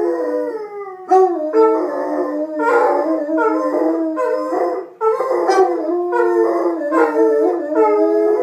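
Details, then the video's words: Two Basset Hounds, Putter and Birdie, in a playful howling fest: a dense chorus of overlapping wavering howls, pitch dipping and rising in repeated surges about every second, the two voices interleaving. "Basset Hounds Putter and Birdie unprovoked howling fest"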